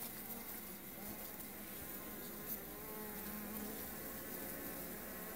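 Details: Continuous droning hum of Melipona beecheii, the stingless bee called blanco estrella in Honduras, with several steady buzzing tones layered together and a few faint clicks.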